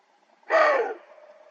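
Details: Mature roe deer buck in a mountain gorge of the Dzungarian Alatau in autumn barking a fierce warning at a cautious younger male listening across the slope: a single rough, explosive bark, short and noisy, fading into faint background hiss.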